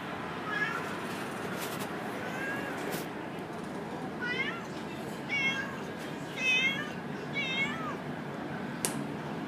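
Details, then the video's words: An orange house cat, heavily pregnant, calls with a few soft early meows, then a run of four or five louder, arched, quavering meows about a second apart, with faint clicks and steady background noise. "แมวส้ม อุ้มท้องมาร้องแง๋วๆ"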